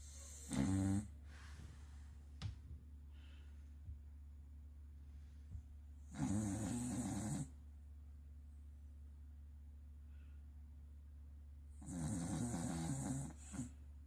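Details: A sleeping Corgi named Sakura snoring loudly indoors: three rough, rasping snore bursts, each about a second long, spaced roughly six seconds apart, with quiet breathing between them.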